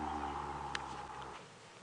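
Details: A deep, steady African elephant rumble with layered low tones fades after about a second and a half, during a sunrise safari drive on March 20, 2017; the elephants, including a young one, are talking to each other on both sides of the road. A faint steady hum and a single sharp click are also heard.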